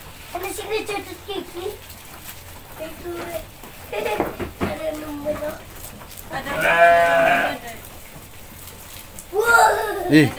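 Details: Goat at feeding time, with a woman hesitant because it tickles, lets out one drawn-out quavering bleat midway through steady conversation, followed by a short higher voice near the end.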